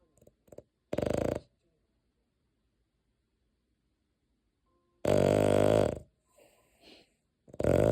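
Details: Sleeping dog Deokgu snores with short, loud, rattling buzzy bursts separated by long silent pauses, one brief snore early and two longer ones later, with a few soft snuffles between.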